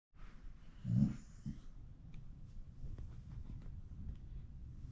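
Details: A Pomeranian dog lets out one very loud sneeze about a second in, a short, sharp, low burst. A softer snort follows, then quiet indoor room hum.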